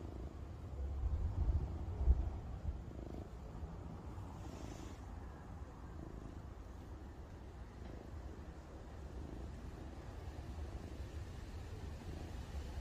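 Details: Domestic cat purring, a low steady rumble with slightly louder swells in the first few seconds and no other clear sounds.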